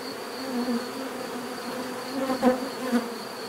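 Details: Buzzing bees heard as a relaxing nature sound: a soft background hum with individual insects flying close past, each swelling and fading within a second, several passes in quick succession.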